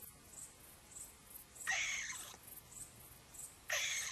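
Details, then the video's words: Upset dormouse peeking out of a hole, startled and calling agitatedly: two loud, harsh, buzzy bursts with stacked bands, near the two- and four-second marks, over faint, regular high ticking in the background. "Razburjen polh"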